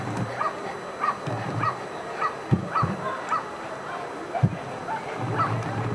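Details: During protection work at NIAK 2015, the dog Ivar vom Falorie barks steadily about twice a second, each bark short and punchy, over a low rumbling background.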